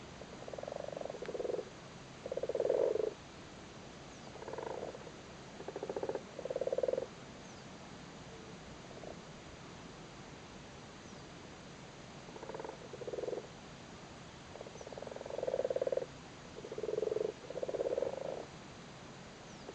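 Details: Frogs in Cork, Ireland, spawning in a flooded cattle grid and sitting on their spawn, give low purring croaks in short pulsed bursts, about ten scattered groups over twenty seconds with quiet gaps between.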